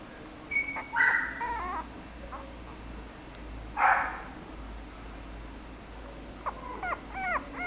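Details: Chihuahua whimpering: thin, high, tonal whines around the first second, a louder, harsher yelp near four seconds, then a quick run of short wavering whimpers at the end, over a steady low hum.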